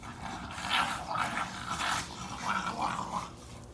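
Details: Basenji dogs playing outdoors in a backyard, two animals romping together; a string of short, mid-pitched yelping and whining vocal bursts with throaty growly edges, spaced roughly half a second apart.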